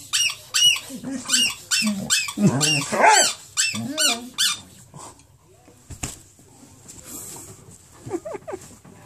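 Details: Saluki, indoors, attempting to howl: a run of rising and falling wavering yelps and whines, several per second for about five seconds, then a thump and a few fainter whimpers.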